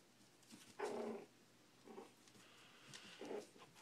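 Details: Four-week-old Shih Tzu puppies eating and playing in a small room; three short, rough, tonal growls about a second apart, the first strongest, over a quiet background.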